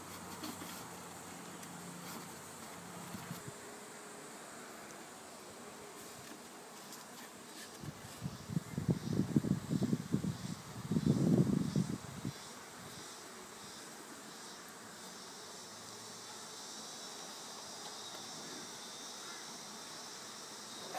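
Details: A honeybee swarm during a relaxed removal, with the bees settling into a box: a low, steady hum of many bees, rising into two louder bursts of close buzzing near the middle before fading back to a soft drone.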